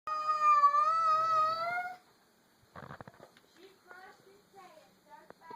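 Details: Female domestic cat meeting another cat for the first time, giving a long wavering tonal wail lasting about two seconds, followed by quieter short chirping and yowling calls with some rustling.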